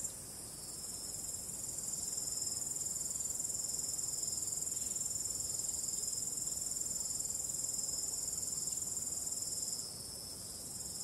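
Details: Crickets calling on a starry night with calm wind: a dense, steady high-pitched shimmering trill holds without pause, swelling slightly after the first two seconds and easing near the end, over a soft broad wind hiss.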